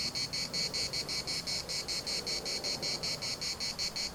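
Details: Cicadas singing in the municipal park of Larnaca, Cyprus: a dense, buzzy chorus pulsing in steady rapid bursts, about two to three per second, high-pitched and continuous, with faint wind rustle underneath.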